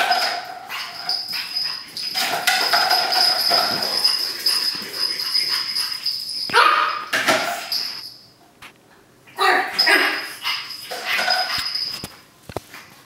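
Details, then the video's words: Pug puppy Cookie, three months old, romps with a paper towel roll in a small room, making drawn-out high whines and repeated yips over tearing paper, with a quiet stretch near the end. "Chiot carlin fait le fou avec un rouleau de sopalin"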